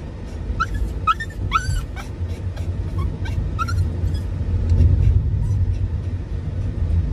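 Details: Raku, a Dachshund–Toy Poodle mix (Doxiepoo), rides in a car with mom, excitedly courting and chasing dad on his scooter before its pre-season maintenance. Several high, wavering whines rise and fall in the first four seconds over a steady rumbling car engine.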